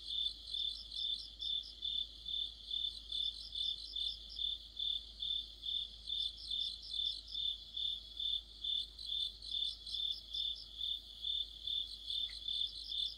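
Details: Deep-autumn night chorus of crickets and companion insects: continuous rhythmic high chirps, around 140 per minute, over a thin wash of faster trilling, with a short faint chirp from another caller late on.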